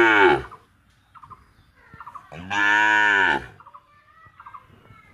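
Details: CCTV recording of a bullock in an Indian cowshed during feeding and untying. Two deep, buzzy moos are heard, a short one at the start and a longer one in the middle, with small chirping bird calls between them.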